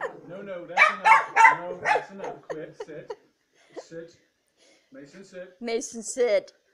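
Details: Mason, an almost 200 lb Neapolitan Mastiff, play-wrestling indoors with his owner while chased by his little sister Mia; a cluster of loud, harsh, deep barks and growly vocalisations in the first seconds, then quieter grunts, with human voices mixed in.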